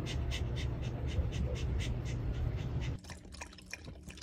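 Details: A female Pembroke Welsh Corgi makes rhythmic wet smacking noises, about three each second, over a low rumble.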